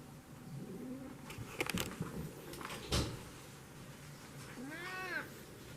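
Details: Cat; meow; communicating with its owner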